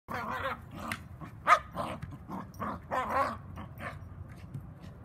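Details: Cairn Terrier male playing actively, giving a series of short, rough barks and grumbling growl-like noises, irregularly spaced, over low rumbling background noise.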